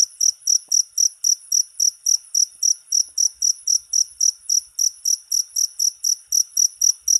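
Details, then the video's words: Cricket song of clear, piercing chirps in a quick even series, around three per second, each pulse short and buzzy, with only faint low rumbles in the background. "Suara Jangkrik"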